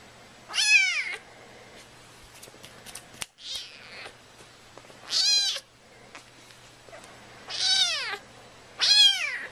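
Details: Domestic cat meowing indoors, four loud drawn-out meows with arched, falling pitch, spaced about two seconds apart, with a brief scuffling noise between the first two.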